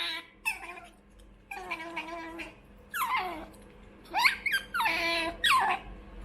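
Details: A young female pet otter begging for food, giving a run of strained, harmonic squeals and wavering whines, several short bursts that rise and fall, growing louder and more insistent toward the end.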